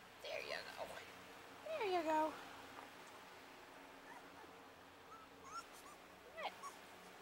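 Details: Puppies playing together, giving a loud high whimpering squeal that bends up and down near the two-second mark, with shorter faint squeaks and yips after it in a quiet room.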